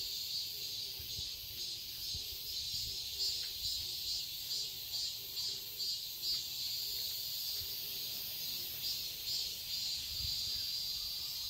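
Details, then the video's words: A garden in Seoul, Korea, in summer, filled with cicadas: a high, sizzling drone that swells and fades in regular waves roughly twice per second, with faint low background hum. "Cicadas chirping sounds"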